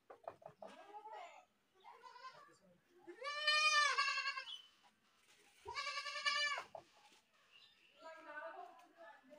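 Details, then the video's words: Goat screaming: loud, harsh bleats with strong, wavering harmonics. Two long cries around the middle, framed by shorter, quieter bleats and nasal calls before and after. "goat screaming"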